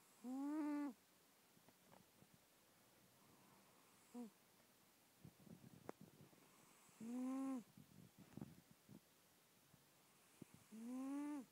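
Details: Female house cat deep in sleep snoring loudly, recorded close up on an iPhone. Three drawn-out, tonal, wavering snores come several seconds apart in a quiet room, with faint small clicks between them.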